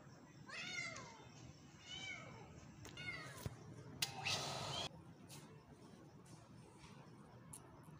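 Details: Stray street kitten giving three thin, high-pitched meows about one second apart, each sliding down in pitch, followed by a brief rustling noise, in a quiet setting with low background hum.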